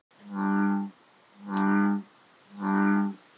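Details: In late spring at a beaver pond, after male green frogs start their mating calls, an American bullfrog gives three deep, droning, resonant notes, each under a second long, about one per second, over a faint background hiss.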